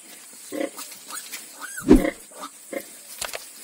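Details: On a farm where ten piglets were born, pigs give soft short grunts and one louder central grunt, a brief rising squeak just before it, over steady hiss.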